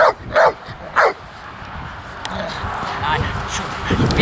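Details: Wallace, an intact three-year-old male Pitbull and American Staffordshire Terrier cross with aggression toward cats, other dogs and people, during a behaviour assessment test at a training field: two sharp barks in the first second, then speech and background noise.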